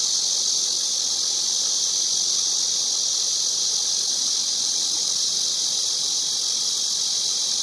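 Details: Cicada singing in a steady, unbroken high buzzing drone that holds at one pitch throughout, with no pauses or pulses and no other clear sounds.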